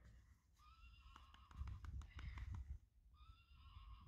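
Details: Friesian horse whinnying: a held tonal call with steady stacked harmonics, broken in the middle by a burst of loud hoof clopping, then a second tonal whinny begins near the end.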